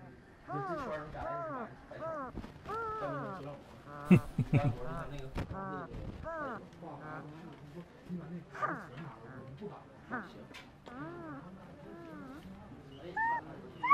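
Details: Male puppy asleep and dreaming, giving a dense run of high, arching whimpers and squeaky whines, some short and clipped, others drawn out and wavering, with one louder sharp yelp near the middle and soft low rumbling beneath.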